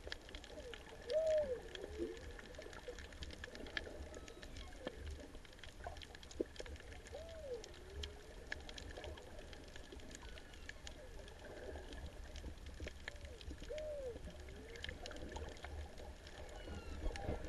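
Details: Humpback whale song at Ulua Beach on 24 December 2019, heard in warm, clear water: drawn-out moans swooping up and down through underwater crackling, singing in the background near a paletail unicornfish.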